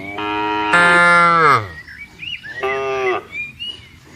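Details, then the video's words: Tame herded cattle on a wide green field, calling the herd to gather: two long, loud harmonic moos, the second falling in pitch at the end, then a shorter moo, with faint bird chirps between calls. "suara sapi panggil kawanan moo"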